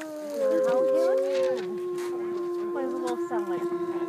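Several wolves howl together, long drawn-out tones overlapping and sliding up and down.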